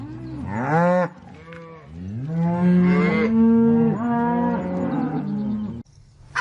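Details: Deep cow moos, a short call followed by a longer wavering bellow that rises and falls, then a clipped end; clear low harmonics and little background.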